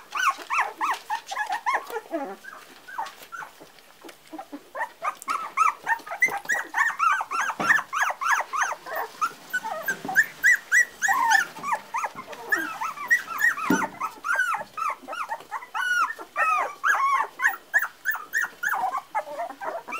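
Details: Chorus of Parson Russell Terrier puppies aged four weeks, many high squeaky whines and yelps tumbling over one another almost without pause, arched notes repeated several times a second.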